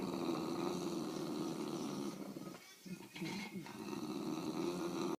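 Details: During a tug of war with a toy, two English bulldogs keep up a low, snoring-like rumbling growl, steady and throaty, interrupted by a short quieter gap midway.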